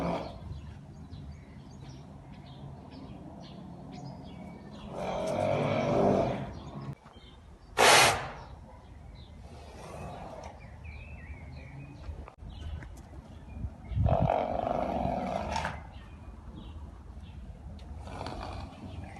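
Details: Arabian horse snorting: two long, breathy, broadband snorts, one near the start and one past the middle, with a sharp short burst between them over a low rural background hiss.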